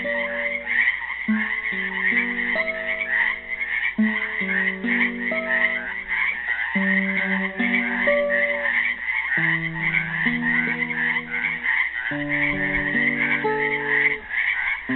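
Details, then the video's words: A steady wall of frog croaks rises from animals trapped in a Helix, Oregon pool on Earth Day 2016, unbroken for the whole stretch, with classical guitar chords and plucked melody lines ringing underneath. "GUITAR AND FROGS SINGING"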